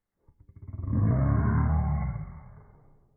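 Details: Westie producing a roar: low pulsed grunts quickly build into a sustained, throaty, rumbling roar of about two seconds that slowly fades away.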